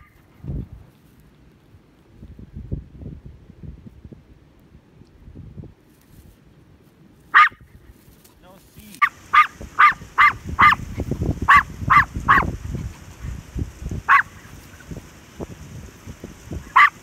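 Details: A tiny Maltese dog barks while a herd runs away from it: after quiet low rustling and footsteps, one sharp high yap comes, then about ten more in quick bursts, roughly two per second, with faint voices beneath.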